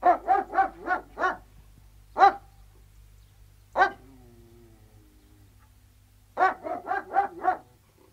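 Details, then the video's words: Three Alsatian guard dogs barking outdoors: a fast run of five deep barks, two isolated single barks with a faint whine trailing after, then another quick burst of five barks. Quiet low hum underneath. "Three Alsatian Guard Dogs Barking, Exterior"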